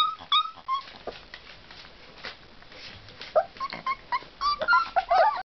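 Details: Several Tosa Inu puppies giving thin, high whimpers and squeaks, sparse at first and then crowding together in quick rising and falling whines toward the end, with a soft background hiss.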